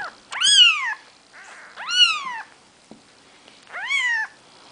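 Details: Four-day-old Maine Coon kittens, a litter named the seven dwarfs, with their mother Nikita: three loud, high, rising-then-falling mews roughly every one and a half seconds, with a softer squeak between them.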